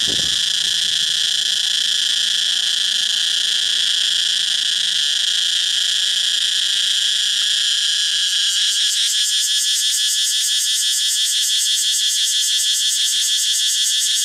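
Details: Thai cicada in the jungle of Thailand, males singing to attract females: a loud, continuous high buzzing drone, steady for eight seconds before turning into a rapid pulsing throb near the end.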